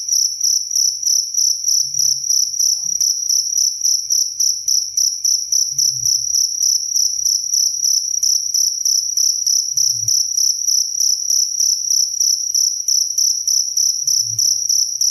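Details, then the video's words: Crisp cricket chirping for training songbirds and calming listeners; continuous rapid high-pitched chirps, regular and ringing, with a few soft low bumps in the background. "SUARA JANGKRIK SUPER JERNIH"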